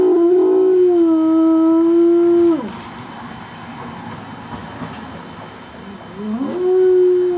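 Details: Pet dog howling for no apparent reason, said to rarely even bark: a sustained tonal howl with harmonics lasting about two and a half seconds, a quiet pause, then a second howl rising in at six and a half seconds.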